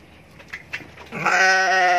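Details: A heavily pregnant red Kaligesing Etawa doe, awaiting the moment of kidding, gives a loud, sustained, wavering bleat after a couple of soft knocks.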